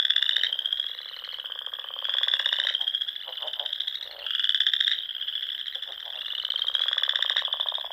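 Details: Frogs singing at dusk in spring among ponds of Nebraska's Sandhills dunes; many overlapping high-pitched trills form a steady drone that surges in louder bursts roughly every two seconds, with scattered lower croaks.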